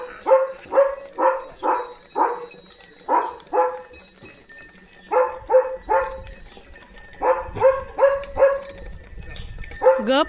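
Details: German Shepherd named Leo barks in his Diwali-decorated courtyard with rangoli and lanterns: a run of deep, rough barks, often paired or in threes about two per second, with brief lulls, faint high chirping and a steady whine behind.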